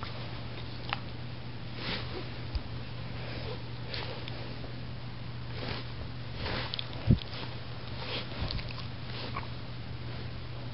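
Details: Greta, a dog lying in bed and biting, gives soft breathy sniffs and snuffles about once a second over a steady low hum indoors, with one sharp click near the seven-second mark.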